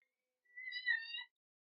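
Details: Hungry baby female kitten meowing angrily while trying to get milk from a bottle: a single clear, high, steady-pitched meow lasting under a second, bright and harmonic, in an otherwise quiet room.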